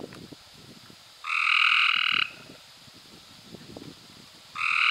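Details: May 2016 recording of a Cope's gray treefrog giving one loud, buzzy trill of about a second, made of fast even pulses, with a second trill starting at the end; soft ticking sounds fill the gaps.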